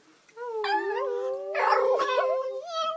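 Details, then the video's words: Dog met on a train, howling on cue in a steady, drawn-out tone that wavers slightly and holds at one pitch for over two seconds, with a person's speech overlapping midway. "Singing dog...."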